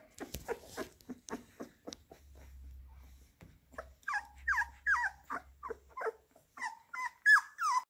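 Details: Labrador Retriever puppies eating minced beef indoors; a run of short smacking and licking sounds, then high whimpers and squeals that rise and fall, repeated about once a second.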